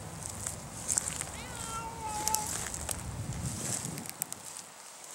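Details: Outdoors near birds and ducks, a Savannah cat intent on a stork lets out one long, wavering meow, surrounded by sharp clicks and rustling noises.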